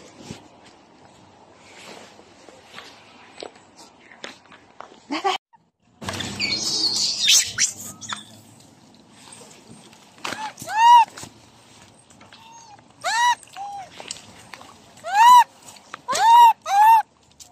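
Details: Motherless baby macaque, bullied until seriously injured, gives loud arched cries in a burst of four or five, each rising then falling, after a stretch of rustling and handling noise.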